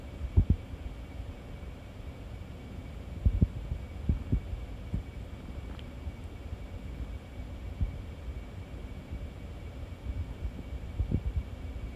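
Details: Low muffled thumps and gurgling rumbles over a quiet hum, with no animal voice.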